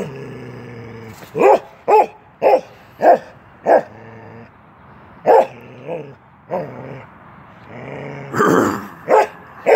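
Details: Keweenaw, a young male Norwegian Elkhound aged 10 months, in play at a fence: a run of five clipped barks, a pause, then more scattered barks mixed with throaty growling and a rough, noisy outburst near the end.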